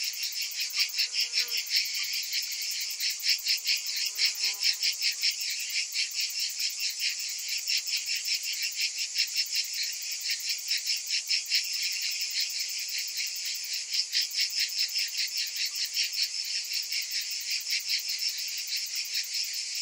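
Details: Summer cicadas in chorus: a continuous shrill buzz throbbing in quick regular pulses, layered with a thin high hiss, and a few faint lower chirps near the start.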